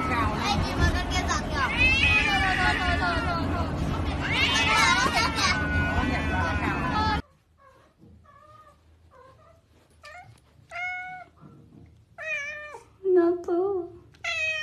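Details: Domestic cat from a compilation of cute cat moments. Loud speech and music fill the first half. Several short, clear, tonal meows follow, some rising and falling, with brief pauses between them.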